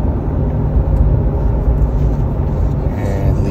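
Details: Loud, steady vehicle engine rumble fills the recording, with no animal voice heard.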